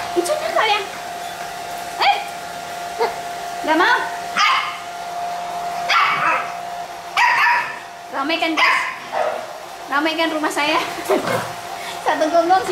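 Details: Hewie's Pit Bull puppies playing, giving repeated brief high yips about every second, then clustered wavering whimpers, against a steady hum and some human speech.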